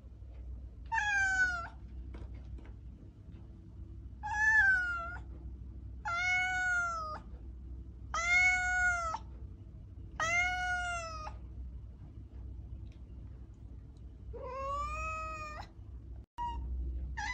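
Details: Repeated meows from a domestic cat, roughly six loud calls each dipping then rising in pitch, coming about every two seconds before a pause, over a low steady hum.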